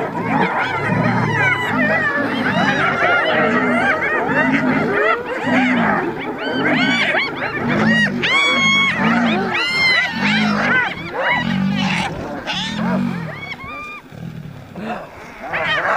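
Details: Hyenas fighting a lion for food, giving their laugh: quick, high, chattering giggles and squeals in overlapping bursts above a steady low rhythmic pulse, with brief gaps near the end.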